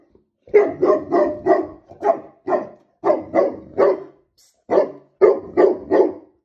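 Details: Female Tibetan Mastiff indoors, barking while eating biscuits, unhappy about a workman in the next room; deep repeated barks in bursts of two to four, about thirteen barks over six seconds with short pauses between groups.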